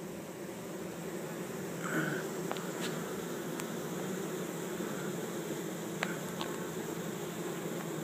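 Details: Grounded honey bee swarm, some 6000-8000 bees, captured into a hive in a Chico, California yard, 2013. An even, low buzzing drone, dotted with a few sharp clicks and a faint higher tone near two seconds.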